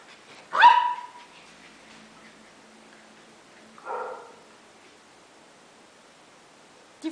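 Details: Golden Retriever puppies, a litter of six playing together on 15/08/2011, with one sharp yelping bark, a softer second bark about three seconds later, and a brief yip at the end; otherwise quiet.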